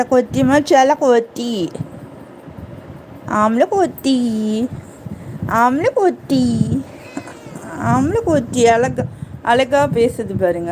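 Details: Cute kitten meowing as if asking for something: a rapid series of short, bending meows in bursts, some rising then falling, with brief pauses between bursts and faint voices in the background.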